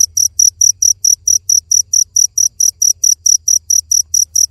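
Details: Cricket chirping steadily, high clean pulses repeated about twice per second, each chirp short and evenly spaced, over a faint low hum.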